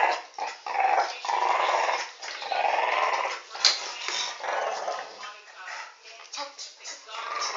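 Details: Alfie, a dog, schooling a new pup as the dogs teach each other; rough, hoarse growling in long noisy bursts broken by short pauses, rising and falling in loudness.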